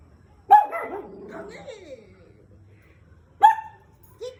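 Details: A female Shih Tzu gives two sharp, high barks several seconds apart, with quiet speech in the background; she reacts this way when she hears other dogs barking.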